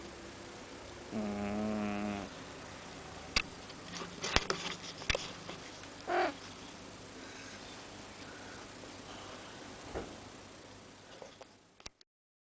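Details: Sleeping house cat Kurara gives a single loud, wavering low snore lasting about a second, followed by scattered clicks, rustles and a short breathy puff against a constant room hum.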